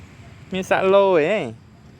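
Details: A stray black and white neighbourhood cat lets out a single wavering meow, about one second long, over quiet outdoor background hum.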